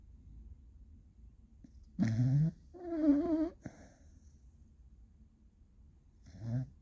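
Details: Gina, a pet Beagle, snoring: three rough breathing bursts, the middle one drawn out with a wavering, whistly tone, separated by quiet pauses.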